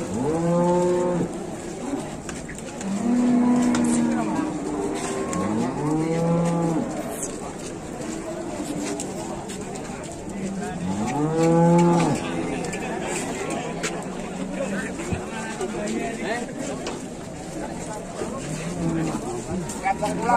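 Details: Large, heavy cattle being unloaded give loud, deep moos in repeated bursts, several drawn-out calls overlapping through the recording, with vehicle and handling noise and faint voices in the background.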